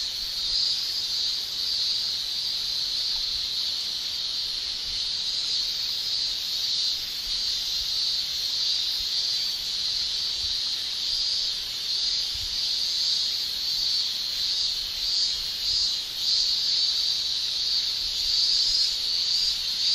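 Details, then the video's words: Male cicadas shrilling in a Japanese summer, a continuous high-pitched buzzing drone with faint, rapid fluctuations in intensity throughout, the chorus unbroken from start to end. "Japan Summer Cicada Shrilling"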